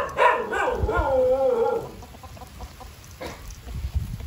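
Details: Vizil the dog, excitedly reuniting with siblings Maggie and Shiney and his owner at a farm house, gives one drawn-out whine that slides downward over about a second and a half, then quieter shuffling and low background rumble.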